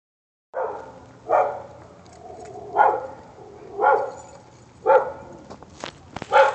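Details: Dog left on an upstairs apartment landing at Prado apartments, barking as a nuisance: six sharp mid-pitched barks spaced about a second apart, with some clicking and knocking noises near the end.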